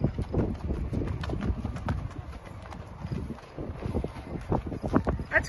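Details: Sharp clip-clop hoof strikes from a 6-year-old Thoroughbred mare, a racehorse of roughly 16.1–16.2 hands, coming about two or three per second in a loose rhythm, with a person talking in the background.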